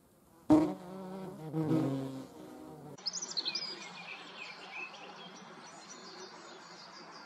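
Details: European hornet buzzing loudly and unevenly for about two and a half seconds, then the drone stops and faint chirping and rustling continue.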